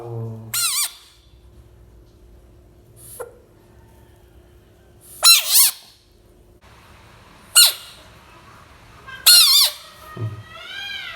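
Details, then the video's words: Small bullfrog screaming: four loud, harsh, high-pitched bursts with falling overtones, spaced irregularly a few seconds apart, over a quiet indoor background. "Brave mini bullfrog protect money 💵 frog sounds"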